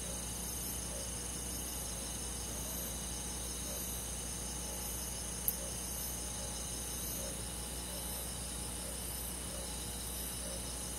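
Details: Crickets and other insects on a summer night in a countryside forest, a dense steady chorus of high shimmering trills layered in bands with soft rhythmic pulsing, plus a low constant hum and one sharp click midway.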